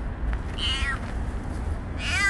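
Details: High, thin meows from a stray kitten: a short wavering cry followed a second and a half later by another, with steady low-frequency rumble underneath.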